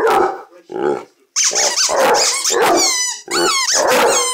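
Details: A two-year-old pet Basset Hound makes a racket of loud, rough, broken baying barks, some sliding into short wavering howls, repeated in quick bursts with only brief gaps.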